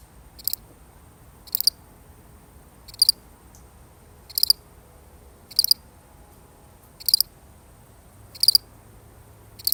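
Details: One solitary cricket chirping in a real recording: brief, high, pulsed chirps repeated about every 1.3 seconds in a steady rhythm, with a soft low hum and faint hiss behind.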